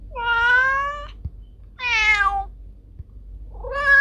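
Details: Domestic cat meowing, sounds said to drive away rats: two long harmonic meows, steady then slightly falling, each about a second, with a third beginning at the end; quiet low hum in the background.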